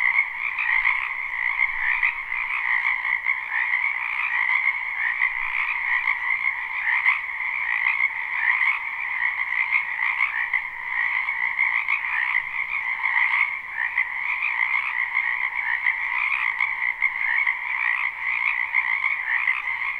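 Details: Frogs crowding a spring wetland behind a home, recorded live with no looping: a relentless, uniform chorus of high trilled croaks layered over a lower band, continuing unchanged for the full stretch with gentle surges.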